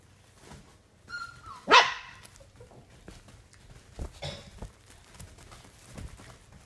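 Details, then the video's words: Playing puppies on day 32: a brief whine leads into one loud, sharp puppy bark, followed by softer yips and scuffling noises in a small room. "Puppies playing"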